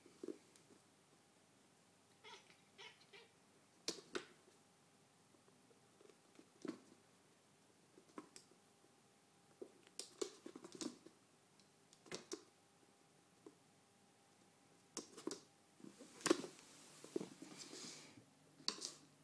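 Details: A Balinese cat chatters and talks at a laser pointer while playing with his son, a Siamese brown-masked tabby. Short, clipped chattering and soft chirps are broken by quick scuffling thumps.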